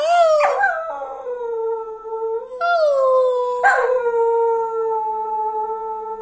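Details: Pet dog, apparently named Lilo, howling together with its owner indoors: three long, sustained, steady tones, each opening with a short rising-then-falling swoop before settling into an even drawn-out note with rich harmonics.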